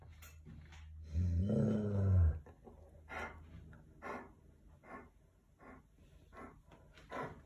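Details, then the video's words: Willy, a German Shepherd, turns serious as someone passes by. He gives one low, rough, growling bark of about a second, then softer huffing breaths and short puffs in a quiet indoor room. "When someone passing by, Willy the German shepherd becomes serious suddenly."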